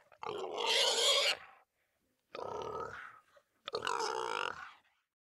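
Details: Russian boar squealing: three loud, harsh, noisy squeals, each lasting about a second, separated by short silences, with a rough grunting edge and no other sounds.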